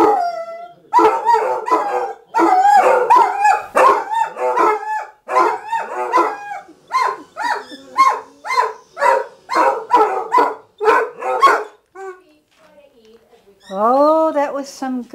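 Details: Morning chorus from a group of Basset Hounds: a long run of short, rhythmic baying yelps in quick succession, overlapping voices, then a pause and a final drawn-out rising and falling howl near the end.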